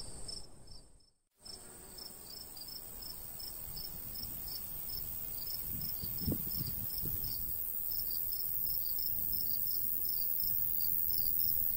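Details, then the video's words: After a momentary drop in sound, crickets in summer countryside near a golden wheat field resume fast, high repeated chirps; a light breeze and a couple of soft low thuds accompany them. "Countryside/cricket sounds"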